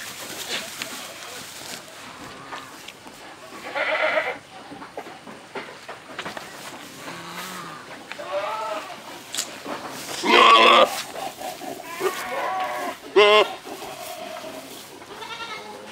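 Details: Big old male Saanen goats meeting at a farm give several loud, quavering, harmonic bleats around the middle and near the end, with quieter bleats and human chatter in between.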